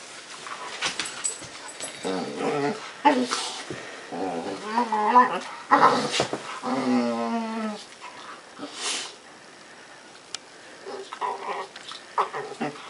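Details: Pet puppy making funny, weird noises: short groaning bursts, then a long wavering, warbling whine-grumble that rises and falls for about three seconds, followed by quieter scattered grumbles after a near-silent pause.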